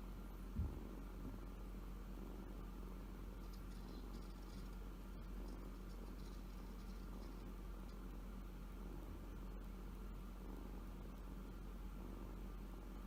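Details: Kitten purring while asleep, showing the pad of its left front paw, a rumble described as the sound of happiness; steady low continuous rumble through the whole stretch, quiet, with faint indoor background hiss and a soft tap near the start.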